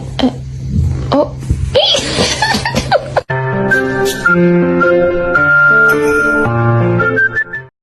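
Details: Music plays with voices, laughter and a child's sounds indoors, with no animal sound audible.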